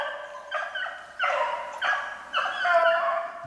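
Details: Beagles hunting snowshoe hare on 8 March 2016 bay in a steady, overlapping chorus of long, harmonic howls that swell and fade about every second.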